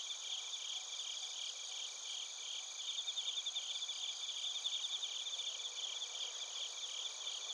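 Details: Quieter chorus of bell crickets and crickets from Narita, Chiba, Japan, captured with a TASCAM Portacapture X8: steady, shimmering high-pitched trills overlapping continuously, with faint bright chirp pulses rising briefly in the middle.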